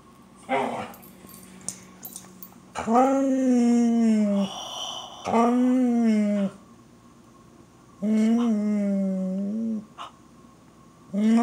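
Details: Jaxon, a Border Collie, excited over squirrels indoors, lets out three drawn-out, high, harmonic whining moans, each about a second and a half long and separated by short pauses, with a few faint knocks in between.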